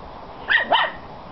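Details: A 10-week-old female black Miniature Schnauzer puppy playing outside gives two quick, sharp, high yaps about a quarter second apart, each bending down in pitch, over faint hiss. She is trying to play with an aged Italian Spinone.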